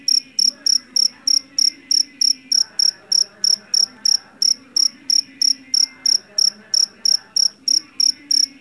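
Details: Jeliteng field cricket taken from a rice paddy, noted for a shrill voice; rapid train of bright, piercing chirps, roughly three each second, very regular throughout, over a quiet, faintly rumbling background.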